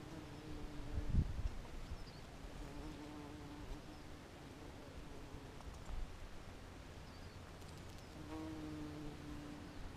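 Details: Three quite large bumblebees up in a strawberry tree on April 20 give a low, droning hum that swells and fades as they fly past.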